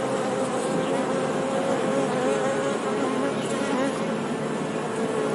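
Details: Buzzing honey bees, a loud continuous drone where a low humming tone slides gently up and down as individual bees pass, over an even wash of noise.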